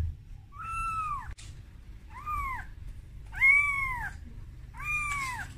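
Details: Scared kitten crying to its mother when first brought out of its room; four arched meows that rise and drop, spaced about one and a half seconds apart, with a brief click and low background rumble.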